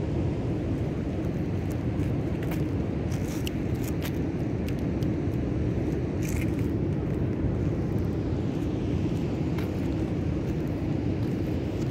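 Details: Heavy low wind or traffic rumble outdoors, with a few faint knocks and no animal calls.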